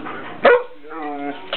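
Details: Pet dog prompted by its owner to say "yum yum", answering with a short yelp followed by a held, moaning, voice-like sound with clear harmonics lasting about half a second, then a brief final yip.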